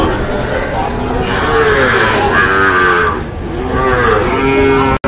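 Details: Sahiwal bull calves at a purchase in Kushtia, Bangladesh, Friday 9 June, two long, sustained moos, the first swelling then fading, the second starting near the end, over a dense background of human chatter.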